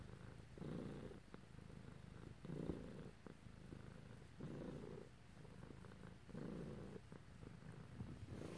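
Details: Domestic cat purring while being petted indoors; steady low rumbling purr in alternating breaths, louder inhale-exhale phases roughly every two seconds, with soft rustling of hands on fur.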